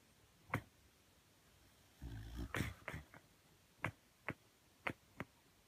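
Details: Shiba Inu named Sakura talking in her sleep, eyes rolled back showing the whites: a few short, sharp yips spaced apart, with a brief louder muffled grumbling burst in the middle.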